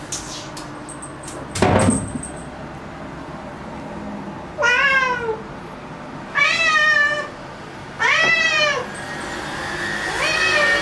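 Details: Black domestic cat, worked up over an insect it has found at home, meows loudly. After a knock, four insistent meows follow at roughly two-second intervals, each with a rising-falling, strongly harmonic tone.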